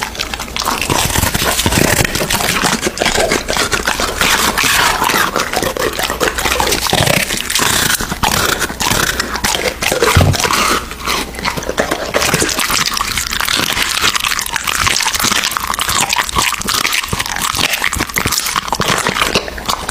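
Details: American Bully dog feeding on raw meat, recorded up close: continuous wet chewing, crackling bites and scraping, steady and busy throughout, with a few louder low thumps near ten seconds.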